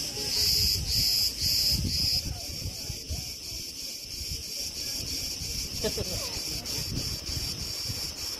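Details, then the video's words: Crickets in August 2020 at Preveli Beach, Crete, among branches in the wind: a few loud high pulses open the stretch, then fade into a continuous thin shrill trill over gusty, rustling wind. "RELAXING sounds and MEDITATION sounds of crickets"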